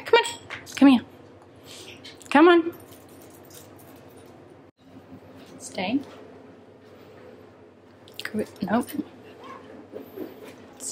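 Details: Maple, a female Pembroke Welsh Corgi, indoors in a small room, disapproving of being mildly annoyed: short rising whines and grumbles in scattered bursts, broken by quiet gaps, with a person coaxing her and saying come here and stay.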